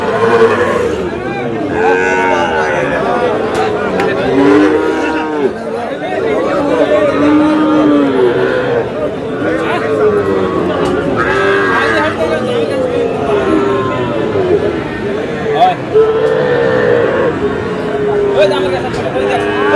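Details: Many Sahiwal bull calves and cattle lowing in Chuadanga, dated 4 July, where a farmer buys stock: arched, wavering moos follow one another almost continuously over twenty seconds, with people talking in the background.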